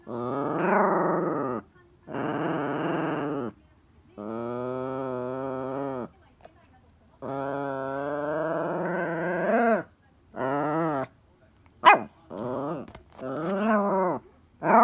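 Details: Pet Toy Poodle Elle demanding a ball from Happy Hanna: a series of sustained, sing-song groaning calls, each one to two seconds, with wavering pitch, ending in quicker, choppy grumbles.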